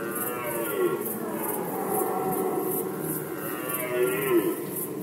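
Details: Rut season of red deer in Poland, 2020: softer, more muffled low bellowing roars swell and fade, with a couple of louder moaning peaks near the start and end over a constant high ticking noise.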